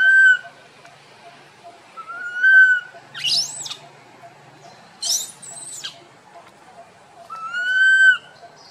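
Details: Tiny monkey named Boston crying loudly while wandering with his group: several drawn-out tonal coos with clear harmonics, each held about half a second, broken by two shrill, rising-and-falling screeches in the middle.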